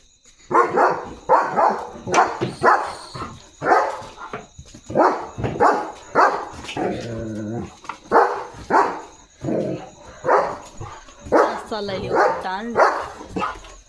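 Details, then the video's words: German Shepherd on night guard duty at home in the dark, barking and protecting its area; loud repeated barks roughly every half second to second, with a short whining stretch midway and faint background hum. "German Shepherd Barking & Protecting at Night"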